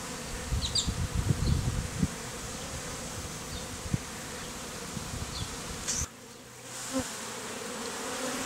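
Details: Bee beard of honey bees, nearly all Africanized, removed from a statue hive; thick droning hum with low thumps and crackles early on, a brief drop in sound near six seconds, then the buzz resumes.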